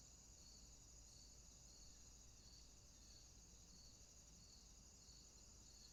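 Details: Nighttime crickets in swampland produce an unbroken high ringing tone with evenly spaced pulses about every half second, set against a dull low-frequency background hum.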